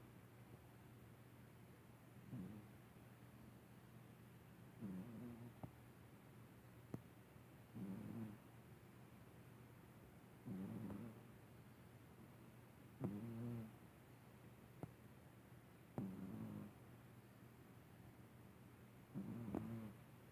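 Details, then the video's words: Pet cat snoring softly while asleep: low, raspy breaths repeating roughly every two and a half to three seconds, each a short rough burst, over a faint steady electrical hum in a quiet room. "Kitty Snores"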